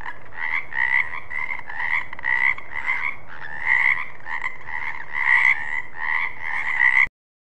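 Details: Frog calling in a steady series of short, nasal, pulsed croaks, about two per second, continuing evenly for seven seconds before stopping abruptly.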